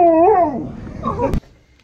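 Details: Husky on an outing, being given treats by cafe staff; a short wavering whine-like moan that dips, rises and falls, followed by softer murmuring and a sharp click at the end.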